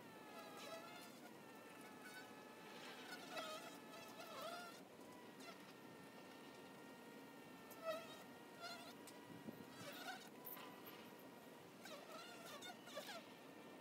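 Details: At a beehive entrance, honey bees produce a continuous whining hum; individual fliers swell and fade in pitch and loudness, with scattered soft clicks and knocks against the hive.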